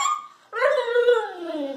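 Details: A female Siberian Husky, muddy from play and about to be bathed, gives a brief, rich, tuneful howl that starts high and slides slowly lower. Her owner is unsure if it means love or reluctance to bathe. A person's voice is faint just before.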